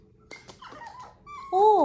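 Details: Chihuahua named Rosie, called sassy, indoors in a small room: a short, loud, tonal whine that bends up then down at the very end, following a person softly calling her name over handling noises.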